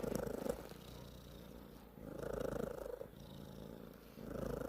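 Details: Close, rattling cat purr made of rapid pulses, rising in three swells over a few seconds, with softer gaps between breaths.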